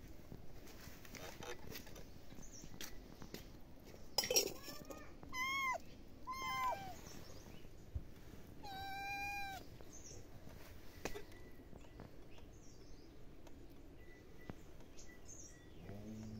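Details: Pet cat giving a few drawn-out meows with a rising then falling tone, one near the middle and a clearer one later, over steady background noise.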